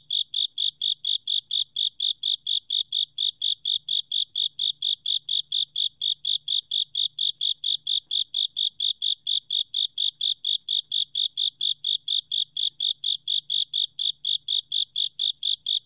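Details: Japanese burrowing cricket. A Japanese burrowing cricket gives its song: short, bright, high-pitched chirps repeated several times a second at a very even pace. The chirping runs unbroken throughout, over a faint low background hum.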